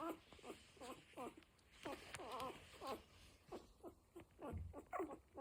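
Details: Week-old Cocker Spaniel puppies make a steady stream of short, wavering squeals and whimpers, several overlapping, with light rustling and shuffling underneath.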